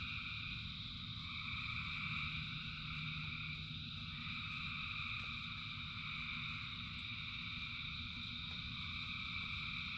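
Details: Many frogs singing together in the rain, their high trilling voices blending into one constant ringing hum, while heavy rain adds a low, even rushing noise underneath.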